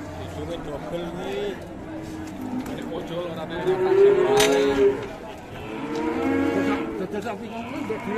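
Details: Aggressive cow bellowing: a loud moo building to a strong peak, a sharp bang at its height, then a second long moo, over a noisy background.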